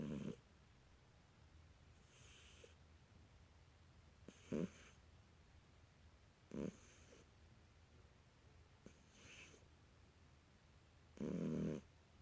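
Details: British Shorthair kitten asleep indoors, snoring: short breathy snores with a low-mid voiced band at irregular intervals, a loud one at the start, more around 4.5 and 6.6 seconds and a long one near 11 seconds, quiet between.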